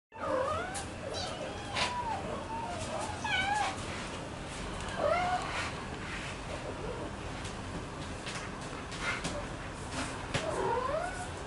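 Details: Scottish Straight kittens eating beside their mothers; thin, high kitten meows, each rising then falling, come from several callers at irregular intervals over a steady indoor background hiss.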